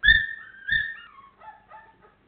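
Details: Four-week-old Labrador Retriever puppies, 28 days old, giving two short high whining whimpers followed by softer, lower falling whines that trail off.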